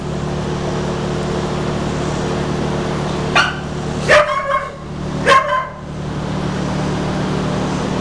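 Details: Peta, an American Blue Heeler (Australian Cattle Dog) up for adoption at a shelter, gives three sharp barks near the middle, the last two trailing into short yelps, over a steady mechanical hum.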